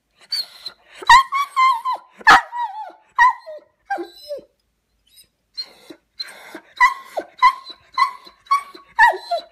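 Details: Dog left alone while its brother was taken to the vet, the pair not coping well with separation; bursts of tonal, harmonic yelping barks and whines, many with falling endings, in quick runs broken by a short lull midway.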